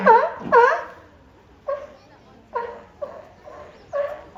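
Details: Two California sea lions at Higashiyama Zoo in Japan, recorded 10 April 2024, compete in a vocal battle, not fighting. Harsh honking barks come in quick succession: two strong ones, then a steady run of shorter answering calls.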